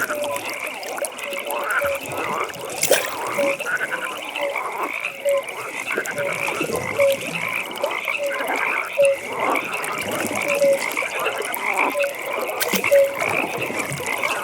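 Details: Frogs at a pond during a nighttime atmosphere, a steady chorus of short tonal croaks near repeating about every second, layered over a continuous higher trilling band and scattered clicks.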